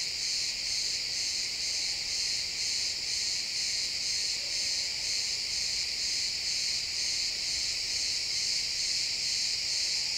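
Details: Crickets chirp in a pine wood at sunset, XY stereo recording: a thick, high-pitched pulsing drone, about two beats per second, with a faint low murmur of woodland ambience beneath.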